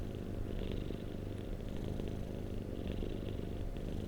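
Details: Purring domestic cat, recorded as a relaxing sleep sound: dense low vibrating rumble without pause, overlaid by soft airy breath sounds swelling about every second.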